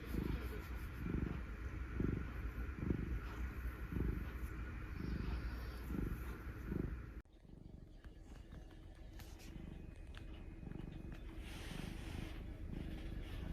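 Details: Black mixed-breed male house cat being affectionate, purring in a steady low rumble with breaths pulsing about once a second for the first seven seconds, then quieter low rumbling under faint room noise.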